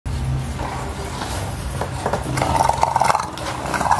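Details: Two English Bulldogs, aged 2 years 35 days and 1 year 317 days, recorded 27 July 2016, make throaty, rumbling growls and snorting grunts in uneven bursts, with a brief higher whine near the end, indoors.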